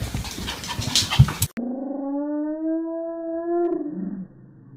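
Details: Dog from a funny pet compilation giving one long, smooth, steady howl with clear stacked harmonics, rising slightly before dropping at the end, after a burst of noisy chatter and clatter.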